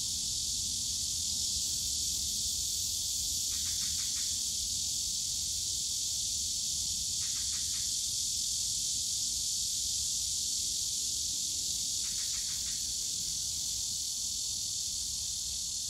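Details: Cicadas on a summer day in the bamboo grove of Yongsan Family Park: a steady, dense, high hissing drone fills the air, broken three times by brief buzzy stuttering bursts at a lower pitch.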